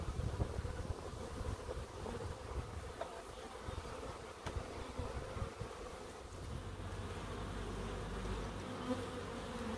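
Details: Bees buzzing in a small wildlife garden in Crookes, a sustained droning hum that swells and fades slightly, with a few soft low thumps and brief clicks early on.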